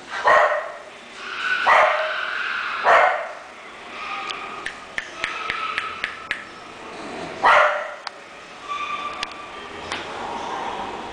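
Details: An English bulldog named Clay gives loud, rough barks about 0.3, 1.7 and 2.9 seconds in and again near 7.5 seconds, between them sharp clicks and taps and softer whimpering tones.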